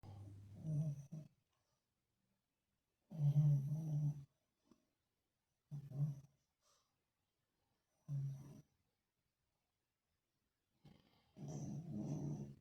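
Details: Sleeping Lhasa Apso dog snoring indoors, a breed said to snore a lot: deep rumbling snorts come in bursts of about one second, repeating every three to four seconds, with quiet between breaths.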